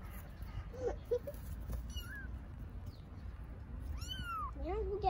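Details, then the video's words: Street kittens in Istanbul calling for their mother: short, thin high meows and lower squeaky mews scattered through the stretch, with one long arched meow near the end, amid people talking in Turkish and low background noise. "Baby kittens living on the street meow for mother cat"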